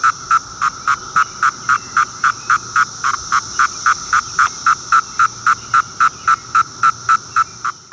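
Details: Magicicada septendecim cicada producing its Court III call as a steady train of short buzzes, close to four a second for about thirty pulses, fading slightly at the very end; nothing else audible.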